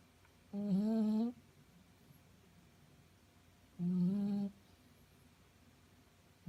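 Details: Five-month-old female Shih Tzu snoring in her sleep: drawn-out nasal humming tones, each under a second and rising slightly at the end, recurring about every three seconds in a quiet indoor room.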